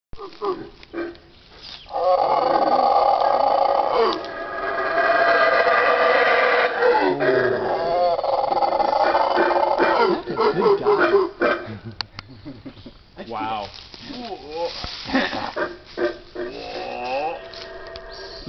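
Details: Howler monkeys near Lamini giving long, rough roaring howls that swell and hold for several seconds, then break into wavering groans, with people's voices audible in the later part.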